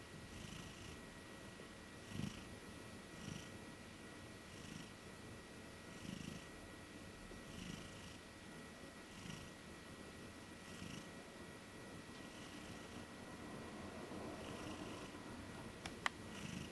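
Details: A sleeping female Maine Coon cat napping on a bed snores softly, each low rumbling breath returning every second or two.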